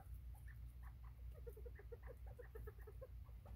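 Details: Bobwhite quail, 24 September 2023, giving a busy series of short, soft, mid-pitched clucking notes in quick succession, partly masked by a loud low rumbling hum.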